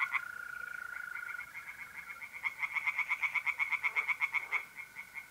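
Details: Mid-April night at a pond in north-east Italy: a mole cricket's steady trill gives way to a tree frog's quick, rhythmic series of rasping croaks, about four per second.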